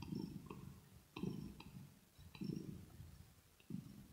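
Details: Purring from Rosetta, a pet kitten, during a calm indoor session: deep throaty rumble rising and fading in waves roughly every 1.2 seconds, with faint clicks from licking or fur grooming between breaths.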